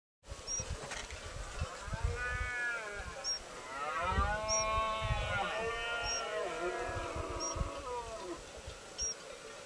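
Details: Red deer roaring during the rut on a private estate, with fallow deer groaning mixed in, filmed on a Samsung S4 through a Swarovski telescope. Long arching harmonic roars swell and fall, while a high chirp ticks steadily about every second.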